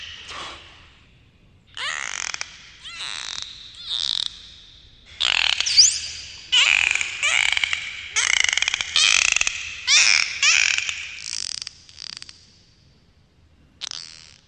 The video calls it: dolphins underwater sounds